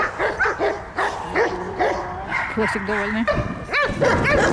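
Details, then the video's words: Belgian Malinois in protection training at a service dog centre in Odesa, Ukraine, attacking: short, rising-falling barks and yelps scattered through the recording, mixed with continuous human speech. "Атакует МАЛИНУА бельгийская овчарка!"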